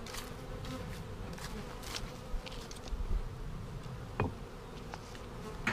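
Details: Honey bee colony opened by a beekeeper on March 10, 2019, seven days after a vertical split with a double screen divider board, while checking for queen cells; a steady low hum of many bees under frequent clicks and knocks of hive handling.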